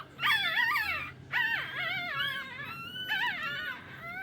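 Shih Tzu puppies give high, wavering whimpers and whines that rise and fall in short bursts.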